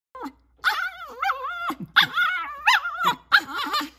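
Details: Olive, a cavapoo dog on watch duty, sees a herd of deer and shivers with excitement, wanting to shoo them off the property. She gives high, wavering, strained whines in several short bursts, rising and falling in pitch.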